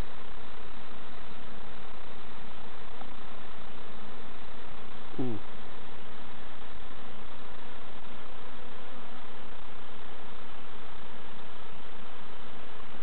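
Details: Bees at their hives in an allotment and community garden while novice keepers open and check them: a dense, steady low hum that never lets up, with one brief sharp click partway through.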